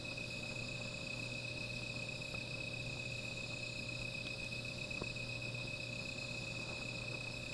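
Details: Insects calling at night beside a small fire, a steady high-pitched continuous trill with a shimmering upper layer running throughout, over a constant low hum and a few faint soft clicks.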